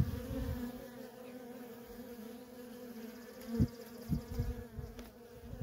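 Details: Worker honey bees in constant traffic at a feral colony, a dense steady buzzing drone with strong low hum and harmonic bands, occasional louder passes as individual bees fly close.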